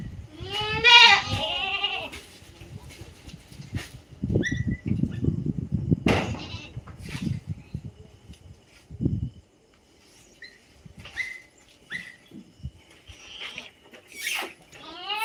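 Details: Native goat giving one loud, wavering harmonic bleat early on, followed by low rumbling handling noise, scattered clicks and short chirps, with a faint second bleat near the end.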